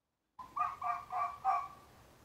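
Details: Male red fox about a year and a half old, afternoon of 2 January 2023, giving the call only males make in mating season, possibly territorial: four quick hoarse, harmonic barks in a run lasting about a second.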